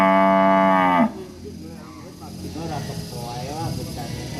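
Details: Angry village cow bellowing one loud, steady, rich moo lasting about a second, then falling to faint, low murmuring sounds.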